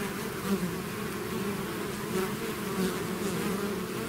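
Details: Bees swarming out of their hive make a thick unbroken hum, layered low tones with brief louder passes of single insects, steady volume throughout.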